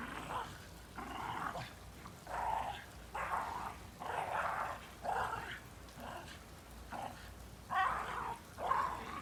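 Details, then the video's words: A Shiba Inu playing hard in snow makes repeated rough barks and growly yelps roughly once a second, fairly faint against steady background hiss. "Playing hard in snow Shiba 雪で暴れる柴犬"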